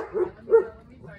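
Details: Miniature Beagle playing with a Greater Swiss Mountain Dog gives two short, mid-pitched barks in quick succession, close and clear, followed by quiet.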